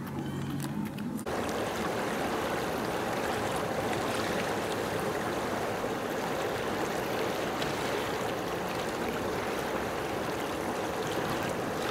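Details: Continuous rushing, gurgling water fills the recording from start to finish. No animal calls stand out above the flow.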